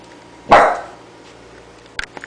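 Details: Coton de Tulear puppy at play lets out one sharp, loud bark that quickly trails off, followed by a few light clicks and taps.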